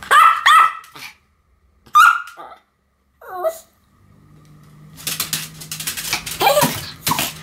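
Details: Pair of pet Pomeranians, Sam and Marin, in duet barking: quick high yaps, a single bark, a short whining yelp, then busy clattering and scuffling noise with a faint hum.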